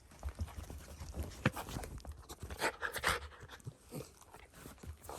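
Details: Shiba Inu named Ranmaru, indoors, excitedly sniffing a blanket after returning from an outing and sensing the sister hidden beneath it, unseen for three months; irregular breathy puffs and sniffs with soft rustling in a small room.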